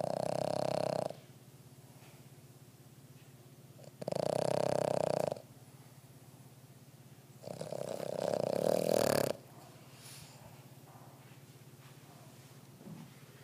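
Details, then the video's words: Worn-out Boston Terrier sound asleep, snoring loudly: three long, rasping, droning snores, each about a second long and spaced roughly four seconds apart, with faint breathing between them. "the Boston Terrier- Snoring"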